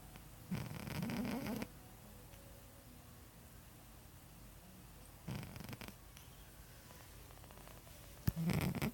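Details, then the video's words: Gob, a pet cat with a flat-ish nose, snores in his sleep: three rough, low rasping breaths, each about a second long, separated by quiet gaps of several seconds. "Gob snoring"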